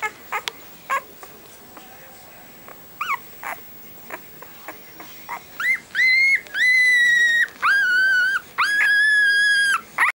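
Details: Siberian Husky puppy, five days old, called Alice Cullen of the Twilight litter: scattered soft squeaks and clicks at first, then long steady high-pitched whines with rich overtones, each lasting about a second, in quick succession.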